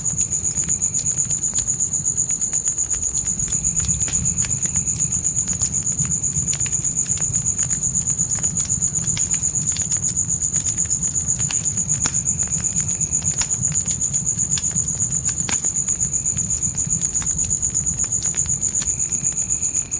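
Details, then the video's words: Night crickets near a forest campfire keep up a continuous, shrill, evenly pulsed trill from start to end, while the fire snaps irregularly and a low steady roar lies beneath. "Fire & Crickets Night Ambience"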